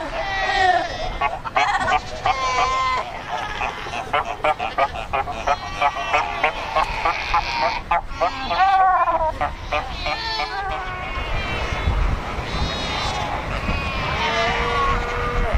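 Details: Crowded colony of Cape fur seals at Cape Cross on the Skeleton Coast, more than 100,000 animals; a constant din of wavering bleats and honks from many individuals, some rising and falling, with steady background roar.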